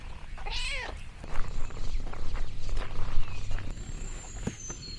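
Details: Orange tabby cat named Lexi on a countryside farm gives a single short, arched meow early on, followed by rustling, crinkling sounds and a steady low background rumble.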